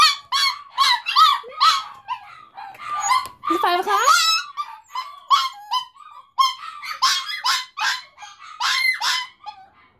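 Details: Dogs at home howling along with the 5 o'clock fire whistle, a daily habit; choppy, repeated yipping howls in quick bursts, quieter, with a voice speaking in the middle.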